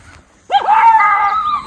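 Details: Miniature Schnauzer, one of two brothers outdoors in Aroostook County, Maine, in July 2022, alerting to someone nearby: a single drawn-out, tonal howling bark that rises sharply and then holds steady for about a second before fading.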